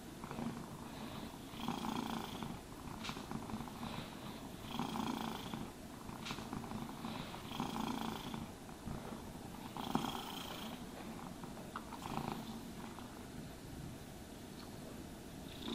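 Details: Cat purrs contentedly as it is brushed and groomed, the continuous low rumble broken by regular swishing brush strokes roughly every one to two seconds.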